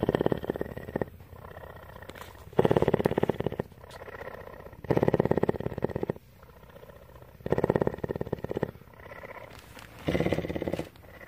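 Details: Continuous purring from Tawney, a cougar living at CARE in Bridgeport, Texas; rough, throbbing bursts swell and fade in a breathing rhythm, louder phases roughly every two and a half seconds with softer rumbling between.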